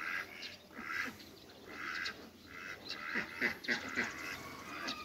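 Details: Hybrid mallard ducks, a pair kept in a backyard, giving a run of harsh nasal quacks in short bursts, several close together, with faint background hiss.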